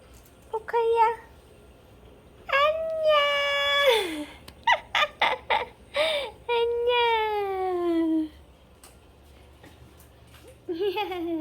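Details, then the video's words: Pet cat Poka meows while greeting its owner at the front door, answering the sound of the door lock. Several long, drawn-out meows with falling endings, plus a run of short chirping calls in between, heard in a small indoor room. "집사 반기는 고양이 소리만 듣고 현관마중"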